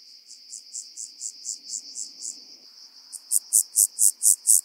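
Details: Rock-dwelling grasshopper (Omocestus petraeus) singing on Cres, Croatia, on 13 July 2022: a faint train of evenly spaced high buzzy pulses, then a louder series of about seven sharp pulses near the end, steady rhythm.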